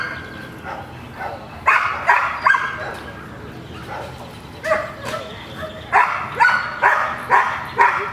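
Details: Gold, a female dog at protection training with a new decoy whose style differs from what she knows, reluctant to bark; a few sharp barks come in a loose series in the second half, with background voices and handling noise.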